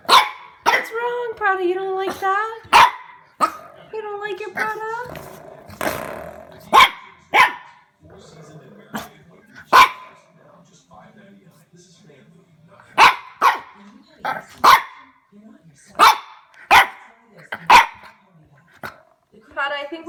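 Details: Young French Bulldog at home reacting to a door stopper: a long run of abrupt, scattered barks, some in quick pairs, mixed with a woman's sing-song chatter and laughter over a quiet room.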